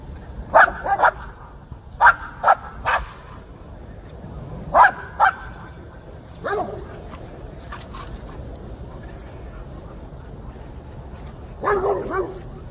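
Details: Dog barking while chasing squirrels: bursts of sharp yaps in quick clusters, pauses between, then a drawn-out whining bark near the end; a person calls softly in the background.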